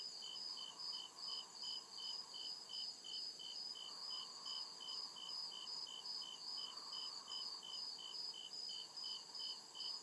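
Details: Deep-woods crickets at night produce regular bright pulses, about two and a half per second, above an unbroken high-pitched drone, with a gentle low murmur swelling in and out.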